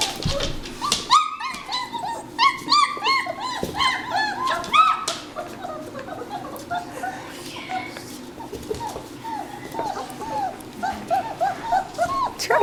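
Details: Litter of German Shepherd puppies, three and a half weeks old, born December 27, 2013, near their mother; a dense chorus of high, arching whimpers and yelps repeats rapidly, busy at first, then sparser, with brief human voices.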